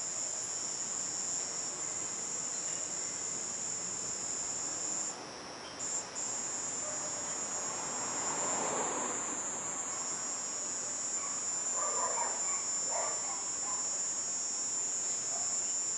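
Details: Nightfall garden chorus: a cicada's steady high-pitched buzz drops out briefly near five seconds then resumes, while softer mid-pitched rustling and murmurs rise around eight to thirteen seconds.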